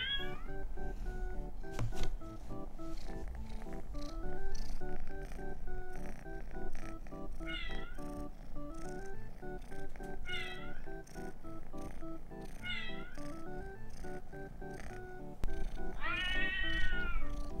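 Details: Pet male Scottish Fold cat, born late December 2019, during an owner's test of cat-translation apps; five or six short rising-then-falling meows spaced a few seconds apart, nearly covered by steady background music.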